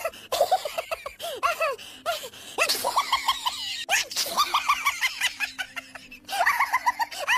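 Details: Adopted Persian kitten pushed to suckle from a foster cat, crying in repeated short, high, bowed squeaks, clustered in runs of three to six, over a background of clicks and handling noise.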